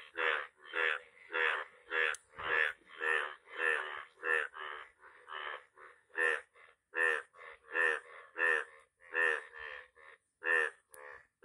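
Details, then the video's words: A yellow frog calling in rapid, repeated croaks, each a short pulsed burst, roughly 17 bursts in under twelve seconds with brief gaps, steady and uneven in rhythm; a faint high tone runs in the background. "Yellow frog sound"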